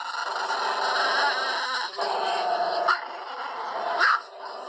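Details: Barking of an Indian pariah dog (desi dog) in the morning, heard as a sustained, rough harmonic clamour broken by louder yelping bursts around 2, 2.9 and 4.1 seconds.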